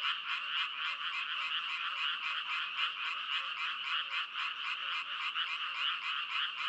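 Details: Steady chorus of frogs croaking, rapid pulses repeating about four times per second, many voices overlapping into a continuous buzzing, mid-to-high pitched wall of sound without breaks.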